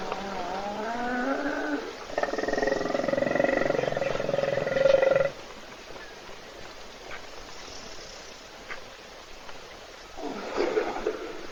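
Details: Wild hippopotamus in Africa snoring while asleep in a puddle at a South African waterhole, filmed by an Africam webcam as other animals wait to drink. Sliding harmonic tones come first, then a loud pulsed, rasping drone for about three seconds, and a brief return near the end.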